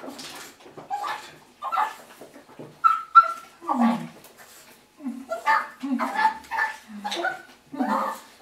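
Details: Russian Toy Terrier named Bonya, six and a half months old, greeting owners returning from work; excited high yips and whines mixed with short barks, dense and irregular throughout, with human voices underneath.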